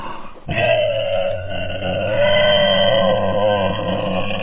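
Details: One drawn-out pig squeal starts after a brief pause and carries on steadily with a tremulous, wavering tone and a deep rumble beneath it.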